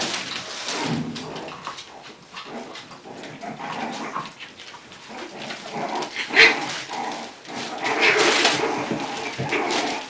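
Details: Four English Bulldog puppies at play while Kona referees their fights; uneven bursts of rough, noisy growls and yips, loudest near the middle and end, with scuffling and rustling throughout.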